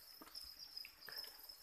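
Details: A constant shrill trill from farm-bred crickets kept on chick-feed rations, with faint rustles and a few short chirp-like blips in the enclosure.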